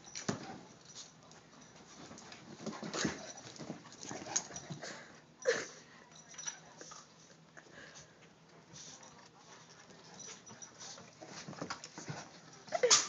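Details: Dogs in a vicious fight: a rough stretch of snarling and growling bursts with sharp, yelping cries, loudest around the middle and at the close, in a noisy, echoing setting.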